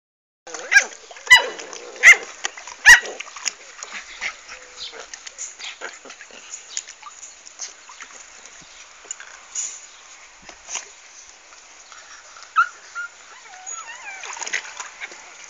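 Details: American Staffordshire Terrier puppies, 40 days old, in a pool, give sharp, high yelps and squeals in a quick run during the first three seconds, then scattered thin whines and splashy clatter.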